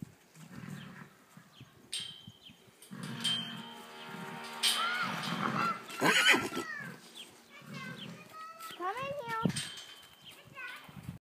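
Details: Percheron horses, a mare with her filly born 22 June 2014, filmed on 16 July; wavering whinnies with stacked harmonics, then a shorter rising-and-falling whinny, while a person talks throughout.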